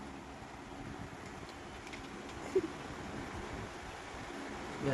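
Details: Quiet room hum like a fan or air conditioner, with faint distant speech and a brief soft bump near the end, and no animal sound.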